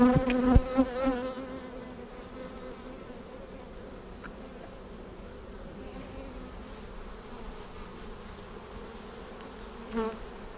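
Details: Hive hum from honey bees checked on March 10, 2019, a week after a vertical split made with a double screen divider board. A continuous droning buzz runs the whole time, with a brief tonal rattle at the start and a faint knock near the end.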